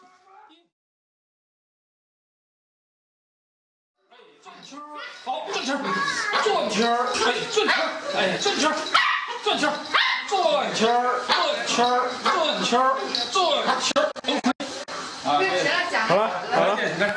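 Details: A poodle "sings" on command, howling in a wavering, sing-song voice, rising and falling in long drawn-out notes, urged to sing louder for a dumpling reward.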